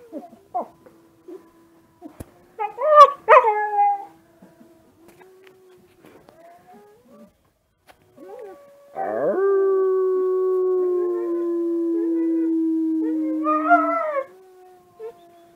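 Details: Kiba, a Husky-mix of Siberian Husky and Alaskan Malamute parentage, reacts to wolf sounds online, filmed on a phone in a dark room. Brief yips and whines come first, then a quiet gap, then one long drawn-out howl gently falling in pitch.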